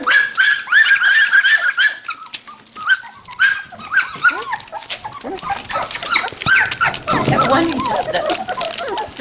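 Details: Standard Poodle puppies from two litters, five and three weeks old, at Red Royal Standards near Columbia Falls, Montana, on November 22, 2013; rapid high whines and yelps, many overlapping, with a woman's cooing voice.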